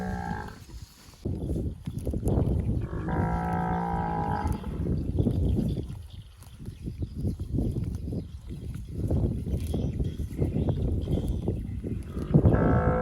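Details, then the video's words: Well-fed cattle feeding on grass in scrubby bushes; loud tearing and munching of grass dominates, broken by one clear moo of about a second and a half, with another starting at the end. "Suara Sapi Sedang Makan"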